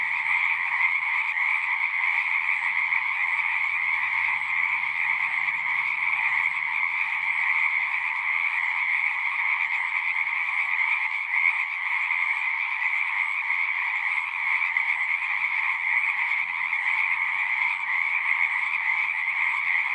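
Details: Continuous singing of many frogs, a dense pulsing trill at constant volume across twenty seconds, with a faint low rumble drifting in and out beneath the chorus.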